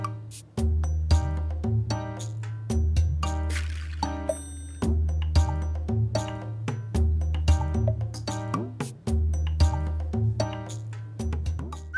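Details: Rhythmic instrumental music with a bouncing bass line and plucked notes plays throughout, with no animal sound.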